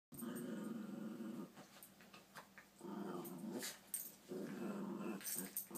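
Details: Puppies playing indoors, giving low, rumbling growls in bursts of about one to one and a half seconds, three main bouts with short yips and scuffling noises between them.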